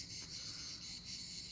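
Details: Cicadas in a garden sing in a steady, shrill, unbroken buzz that fills the air without pause.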